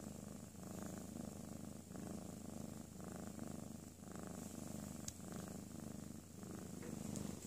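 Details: Napping house cat Ms. Miya, calm after a playful tantrum, gives a rhythmic rumbling purr that swells and fades with each breath, roughly one cycle per second, plus a single faint tap midway.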